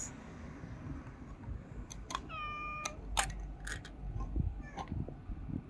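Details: Tailless tuxedo cat living on the street, affectionate while being fed, lets out a single steady harmonic meow, surrounded by sharp clicks, crunches and low rumbling background noise.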